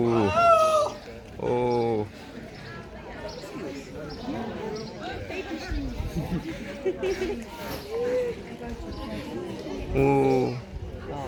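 Three loud, throaty bursts stand out, the first wavering and moaning, the others short and blaring, typical of a seal calling. Between them, people talk and murmur steadily.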